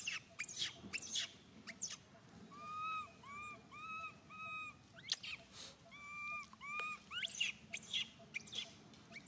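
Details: Baby monkey Suca wails in distress after Susan grabs him. A run of arched, whining cries comes in quick bursts amid loud scuffling and rustling clatter.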